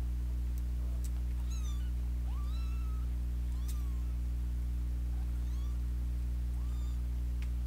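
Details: Kittens battling each other indoors while a big sister cat meddles; several short, arching mews, some rising then dipping, come every second or so above a constant low mechanical hum.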